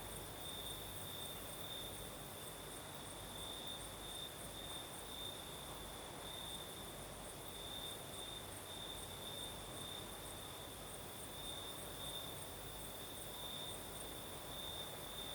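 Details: Crickets sing through a Crimean night in the south, a night breeze moving: an unbroken high-pitched trill pulses slightly in loudness, backed by a thin upper chorus and steady breezy hiss.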